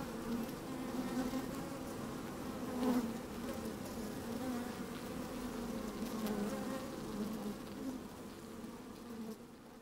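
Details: Honey bees working in an opened hive, sunny and slightly windy day, recorded with the microphone down in the hive: an even, continuous droning hum with one brief louder buzz near three seconds, fading slightly at the end.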